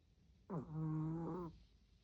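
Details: Tori, a 16-year-old elderly dog, snores loudly while asleep: one drawn-out, droning snore lasting about a second, with a rich buzzy low tone that starts abruptly and holds steady before stopping, in a quiet room.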